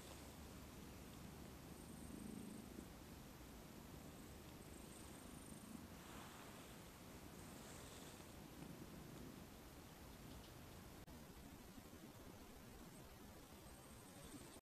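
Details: Domestic cat purring softly, a continuous low rumble that swells briefly around two and again near eight seconds, set against a steady hiss of background noise with faint high rustling.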